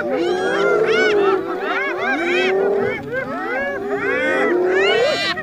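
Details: Spotted hyenas contesting food with a lion give continuous looping, whooping cries, a steady wavering tone beneath bursts of arched higher notes, briefly dipping near the third second before resuming loudly.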